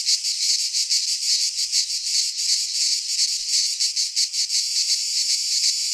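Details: Cicada song recorded in midsummer in a Greek pine forest, a piercing electric buzz with rapid pulsing swells, steady and unbroken, no other sounds present.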